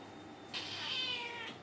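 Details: Pet cat meowing once, a clear, high, slightly wavering cry of about one second that starts abruptly and tapers off, over a low steady background hum.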